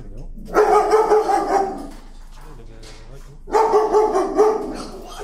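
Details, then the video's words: A timid dog fearful of leash pressure gives two long, harmonic screams, each over a second, protesting on its walk. The cries are strained and sustained, with a low murmur between them. "Timid dog, afraid of leash, screams and protests."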